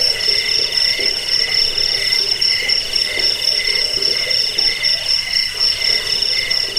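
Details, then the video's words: Cricket chorus meant to drive off rats, lull listeners to sleep and train birds; shrill, rapid pulsed chirps about four per second layered over a steady lower buzzing band, no pauses. "Suara jangkik pengusir tikus pengantar tidur"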